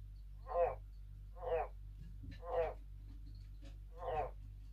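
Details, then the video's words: Tree frogs at night, in a night-time concert alongside owls: four short, raspy, nasal croaks about a second apart over a low steady hum. "Tree frogs croaks"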